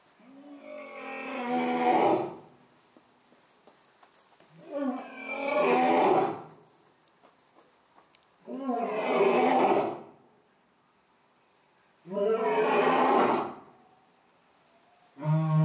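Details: Orito, a male lion and new father at Asahiyama Zoo, Japan, on the morning of 15 September 2022, after the birth announcement for female Io's cubs. Four deep, powerful roaring bouts about two seconds each, spaced roughly three seconds apart, then a fifth begins.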